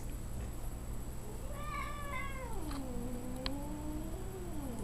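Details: Domestic cat meeting a dog it has known under 24 hours, raised around a yellow lab: a long, low, wavering yowl that dips and rises again, with soft background hum and faint clicks.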